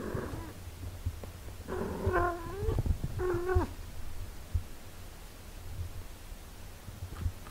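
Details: Domestic cat, a mother caring for her six-day-old kittens: two clear, short mews about a second apart, each rising slightly then holding level, over a steady low hum with scattered soft clicks and rustles.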